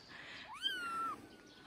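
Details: Tiny three-week-old kitten at play on a man's shoulder lets out one loud meow that rises quickly then holds a steady, slightly falling tone before stopping abruptly.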